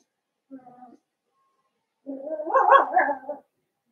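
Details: A Cavalier King Charles Spaniel puppy, one of a litter of five Blenheim pups in a home pen, lets out a faint short yip, then a louder, rough, drawn-out bark-whine lasting over a second.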